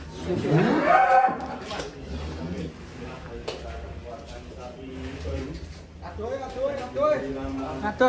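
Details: Sacrificial cattle kept for Qurban, a large animal being brought out: a drawn-out, rising then falling moo in the first second, overlaid by human voices, with further low calls and chatter later.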